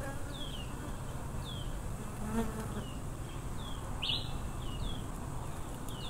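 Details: Wild Africanized honey bee swarm, a steady low droning buzz filling the background throughout, with short descending chirps of birds repeating about once a second above it and one brief sharp upward note near the middle.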